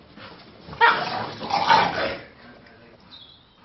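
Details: Two Chow Chow dogs in a small argument, with two harsh, loud snarling bursts close together, the second longer, then quieter rumbling.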